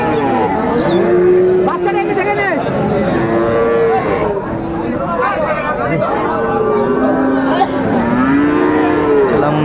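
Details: Bull calves of Friesian and crossbred stock for sale at Raniganj haat, Dinajpur, 2 May 2024. Repeated moos come from more than one animal, some level and some bending upward, over constant market chatter and crowd noise.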